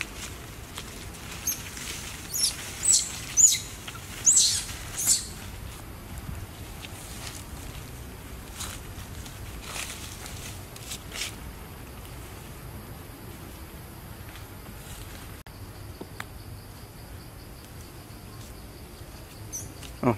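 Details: Baby monkey of the Mila Troop in a park, taken from its mother by another monkey and crying hard; a cluster of short, high, sharp squeals bursts out over the first five seconds, then fades to quiet rustling background.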